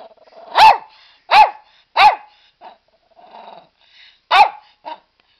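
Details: Pet dog barking while sitting in his ball pool. He gives five loud, sharp barks roughly every 0.7 seconds, with a pause between them and a few softer, shorter yips and a low muffled sound.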